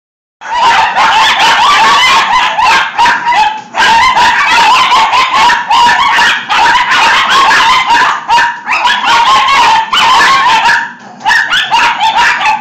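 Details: Six dachshunds going nuts over a punch balloon indoors, producing a dense, nonstop chorus of high, overlapping yips and barks with brief pauses around four and eleven seconds.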